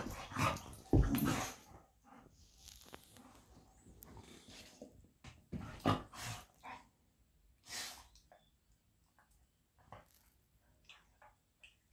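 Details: Two old pet dogs, a 13-year-old golden retriever and a 14-year-old kelpie, playing indoors in a home office to nag for their walk; a few short barks and growly grunts in irregular bursts, with quiet gaps and household rustling.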